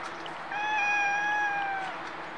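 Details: A stray cat in Japan meows once, a sustained, evenly pitched cry about one and a half seconds long that tails off slightly downward, over low steady background noise.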